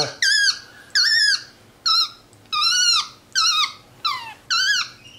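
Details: Pet capuchin monkey MonkeyBoo chatting from his leather couch; a loud run of seven squealing, bent harmonic calls, each sliding down at the end, repeated at a steady pace of about one per second.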